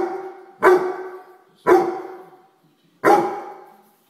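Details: Grey Weimaraner dog barking at a house fly: three sharp, loud single barks at roughly one-second intervals, each fading quickly, with quiet pauses in between.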